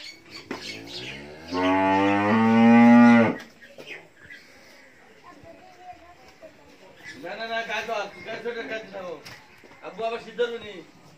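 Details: Friesian cow giving one loud, steady, low moo lasting about two seconds, richly layered and even in pitch. Quieter wavering vocal sounds and background murmuring follow after a pause.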